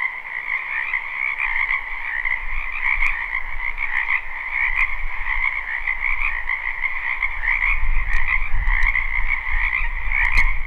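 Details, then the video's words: A live spring recording of numerous frogs in a wetland behind a house: continuous overlapping trilling croaks in two pitch layers, joined by a low rumble that grows stronger toward the end, plus occasional sharp clicks. "Ambient Noise for Sleep Frogs Black Screen"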